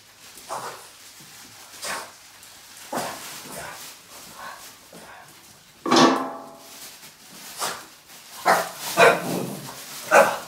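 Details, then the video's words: Boston Terrier barking in anger at a trash bag indoors: short, harsh, uneven barks spaced a second or more apart, one louder, fuller bark in the middle and a quick cluster near the end. "the Boston terrier gets angry and bark at the trash bag"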